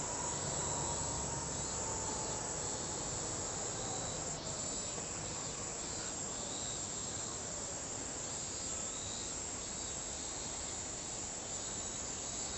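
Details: Continuous shrill buzzing of a Kaempfer cicada, steady and unvarying throughout, set against a dense wash of outdoor background noise with a faint sliding tone early on.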